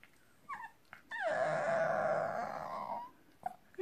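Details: French Bulldog puppy vocalising at its owners with squeals and howls. Brief soft yelps lead into a long, steady, droning howl that holds for about two seconds, then a few faint squeaks.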